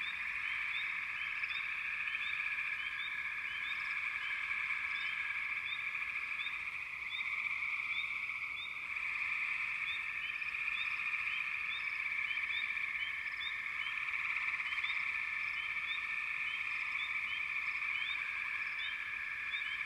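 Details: Frogs calling together in a steady, dense chorus: an unbroken high trilling hum runs throughout, overlaid with short bright chirps repeating rapidly and irregularly, with no other clear sounds.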